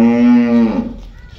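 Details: A Friesian Cholistani cross cow offered for sale in Pakistan, 9 March 2024, gives one loud, steady, deep harmonic moo lasting under a second, then it fades into quiet room noise.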